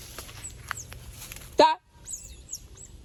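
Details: Otter giving a single loud, harmonic squealing burst lasting under a second, then thin high chirps after a short silence; faint human voices and low background rumble before it.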